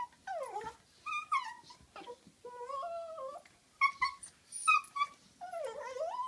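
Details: Dog named Butterball making a funny noise while playing and wrestling with Looey indoors: a run of high whining yelps and warbling whimpers, sliding and wavering, in short bursts with brief pauses between.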